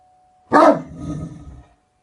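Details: One powerful, deep bark from a Great Dane, sharp onset then a rough, trailing growl-like tail lasting about a second, with a faint steady tone before and after.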